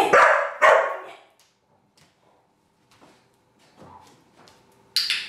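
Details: Female Pit Bull learning to fetch a single-serve bottle of wine from the fridge gives two sharp barks in quick succession, followed by quiet shuffling and a brief burst of noise at the end.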